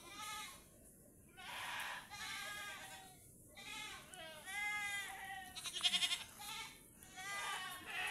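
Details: Pet goats at their tethering spot call in a run of five or six short, trembling bleats spaced about a second apart, with a faint rattling sound near the end.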